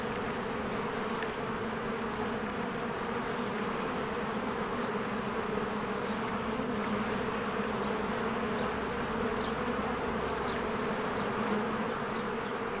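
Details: Spring beehive with honeybees streaming in and out, giving an even, unbroken droning hum with strong low buzzing tones throughout, plus occasional faint high ticks in the background.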